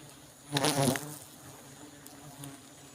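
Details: A honey bee zooms close past during a honey harvest, a short loud buzzy whine lasting about half a second before fading into a faint background hum of other bees.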